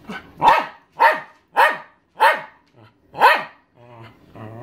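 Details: Elderly Welsh Terrier, thirteen years old, demanding her owner's dinner with five loud, sharp barks about half a second apart, followed by a low droning whine.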